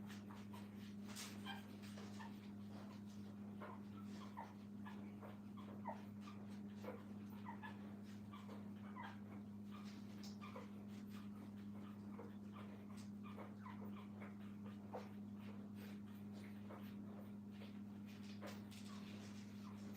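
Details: Puppies kept with their mother at a training kennel give scattered thin, high whimpers and short yips throughout, soft and irregular, over a constant low electrical hum.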